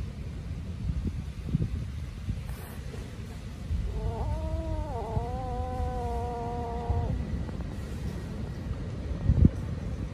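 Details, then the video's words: Hungry kittens cry loudly as they eat and chase each other. A single long meow-like cry rises slightly, dips, then holds steady for about three seconds over low background rumble, with a sharp knock near the end. "Hungry Kittens Crying Loudly And Chasing Each Other While Eating"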